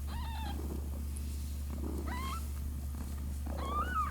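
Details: Six-day-old kittens give thin, high mews, each a short rising-then-falling squeak, about three in four seconds.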